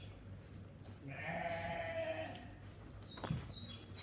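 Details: Sheep at a livestock market offering ewes, rams and lambs; a single drawn-out, quavering bleat lasts over a second, with a steady low background hum and a sharp knock near the end.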